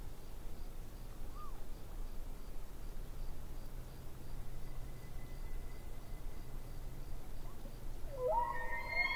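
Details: Distant elk by a lake: a faint, long high whistle holds steady late in the clip, then a short rising squeal with overtones, over steady low rumbling background noise.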